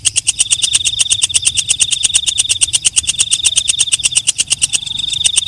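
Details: Night grasshopper, known locally as walang kecek, singing after dark with crisp, rapid clicks, roughly three each second, layered on a continuous high-pitched metallic whine.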